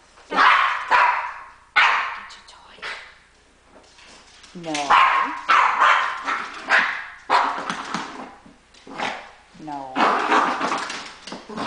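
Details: Female house dog objecting to her owner going to shower, barking and growling in loud, ragged volleys with rough, grating bursts, while a woman talks and tells her to get her toy.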